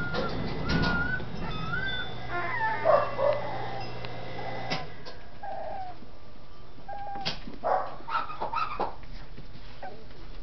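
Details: Dachshund puppies in their new kennel home in Campinas, São Paulo, described as happy: short high whines and yips, thin tonal notes rising and falling, scattered across the clip over a steady low background hum.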